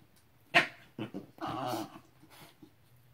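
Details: Two pet Basenjis playing with a llama, giving short rough growl-like bursts: a sharp yelp, two quick grunts, then a longer harsh noisy growl, with a faint final huff.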